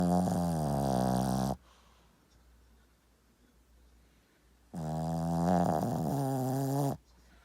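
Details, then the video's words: A dog snores remarkably loudly: two long, rasping, harmonic snores, each lasting about two seconds, with a quiet gap of roughly three seconds between them. "강아지가 이렇게 크게 코고는거 본분 계신가요 ..?"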